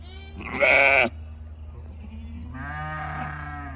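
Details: Goat kids at play, about a hundred of them jumping and yelling. One short, very loud, harsh bleat is followed after a pause by a longer, softer, wavering bleat, with a low hum underneath.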